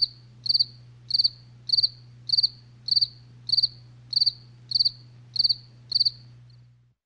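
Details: Night sound of crickets: bright, high-pitched chirps made of rapid triple or quadruple pulses, evenly spaced roughly every 0.6 seconds, fading out at the end, with a faint steady low hum beneath.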